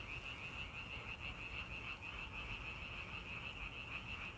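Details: Frogs calling outdoors: a steady chorus of rapid, pulsed croaks at about three per second, forming a continuous buzzy trill over a low background hum.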